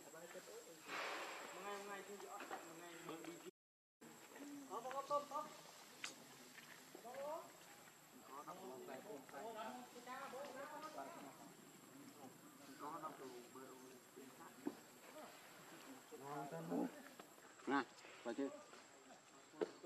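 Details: Baby monkey Lucie, very hungry for milk, cries for its mother: a string of short, wavering, harmonic wails repeated in uneven bursts, with clicks and rustling nearby.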